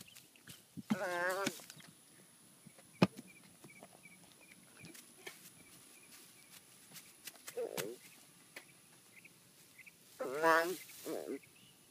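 An American bullfrog gives loud, wavering, bleat-like cries, two main bursts with a few softer ones between.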